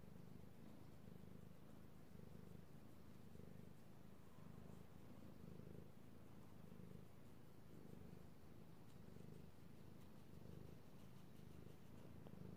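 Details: Male domestic cat purring steadily while being petted indoors, recorded March 16, 2018; low rumbling purr pulsing in rhythmic inhale-exhale cycles about every second, continuous throughout.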